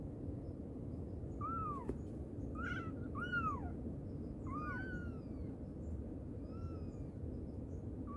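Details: Mother cat calling her kittens: a series of short arched meows that rise and fall, about six in eight seconds, some fainter, over a steady low rumble of background noise.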